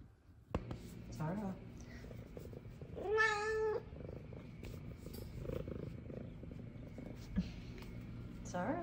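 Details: F2 Savannah cat greeting its owner home from work with a single clear, steady meow lasting under a second, set against a low household hum and faint soft talk.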